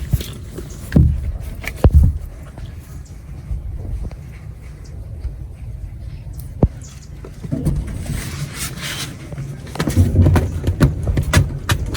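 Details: Low thumps, scrapes and handling bumps come in bursts over a quiet background, with no clear voice from any animal.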